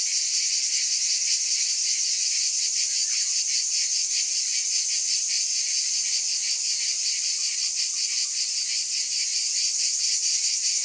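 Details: Steady wall of cicada buzzing, high and hissing, made of many overlapping insects with a soft fast throb beneath the drone; nothing else audible.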